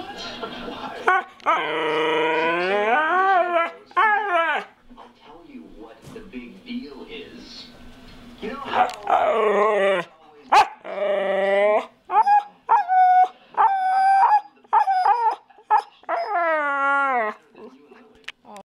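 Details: A pet dog chattering at its owner, as if trying to say something: many rising and falling howl-like moans and whines in varied lengths, some drawn out, others clipped, with a person's voice between them.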